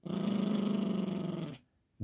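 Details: A female Yorkshire Terrier puppy, playing tug-of-war over a monkey squeaky toy, growls in a continuous low, fast-pulsing rumble for about a second and a half, then stops abruptly, followed by a brief quiet moment in a small room.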